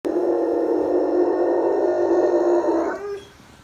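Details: Pet German Shepherd howling: one long, steady, mid-pitched tonal howl holding level for nearly three seconds, then breaking off and fading.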